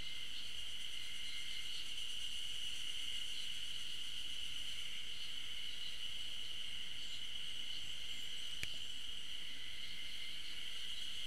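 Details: Unseen Ezo spring cicadas calling on a campus forest trail at Tokyo University of Agriculture's Okhotsk campus, 15 June 2012: dense, even, high-pitched droning with faint throbbing, interrupted once by a sharp click near the end.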